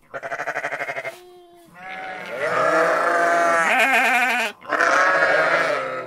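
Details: Domestic sheep and lambs on a farm: a rapid stuttering bleat opens, then long quavering, tremulous bleats rise and fall, with a brief pause before a final drawn-out, shaky cry.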